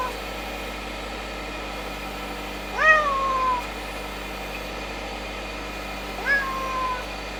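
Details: Stray cat filmed between summer 2016 and winter 2017, giving two meows about three seconds apart, each a rising then falling, slightly drawn-out cry, against a steady background hum.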